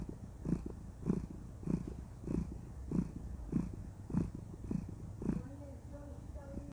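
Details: Contented female cat purring as she is cuddled: low rhythmic rumbling pulses roughly every 0.6 seconds, ending with a brief higher voiced sound over the last second.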